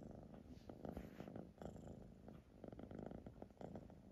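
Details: Siamese cat purring at close range, a grainy low rumble broken into short pulses, with brief pauses between breaths across four seconds.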